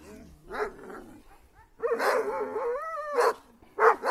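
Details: Attacking Kangals give dense, harsh barking and a long wavering whine-like yelp. Two more loud, sharp barks burst out at the close.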